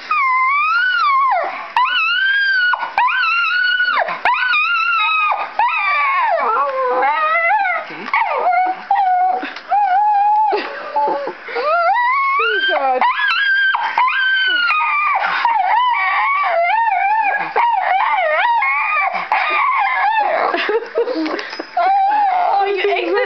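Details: Pet dog screaming while watching the TV and computer, a loud continuous run of wavering, sliding howls and yelping whines with rising and falling pitch, broken by short pauses, while a woman talks to him between outbursts.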